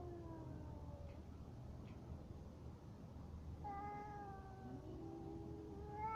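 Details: Two fighting cats exchange faint, long sustained wails over steady background hiss, one fading early and another rising and wavering from about four seconds to the end.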